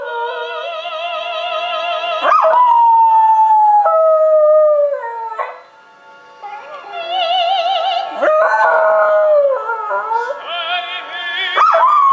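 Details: A West Highland White Terrier howls in long, sliding, wavering tones along to an operatic recording of O Soave Fanciulla.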